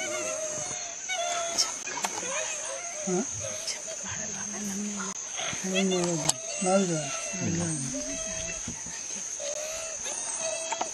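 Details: Wild dog pups calling while their pack eats a spotted deer alive. Bursts of whining, yelping squeals come in uneven runs, several voices overlapping, with human voices talking and constant high insect buzz behind.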